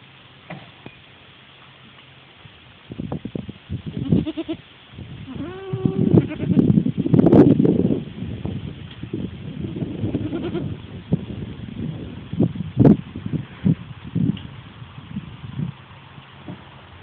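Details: Young goats named Salt and Pepper, kept with other goats in their pen, bleating in a run of wavering, harmonic cries, loudest midway, mixed with shuffling and rustling movement in the enclosure.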